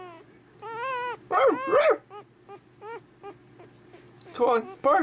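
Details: A young male puppy trying out his first barks gives high, squeaky yips and drawn-out whines while a person coaxes him to bark.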